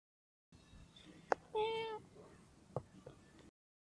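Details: A friendly domestic cat gives one short, steady meow of about half a second, with a few faint clicks and taps around it in a quiet setting.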